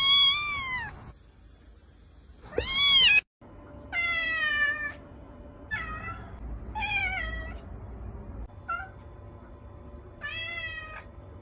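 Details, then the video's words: Kittens meowing in a compilation of many baby cats: several high, harmonic meows, some arched and some falling, spaced irregularly with brief gaps and one abrupt cut between recordings. "KITTEN SOUND EFFECTS | More than 50 kittens Meow Compilation part 1"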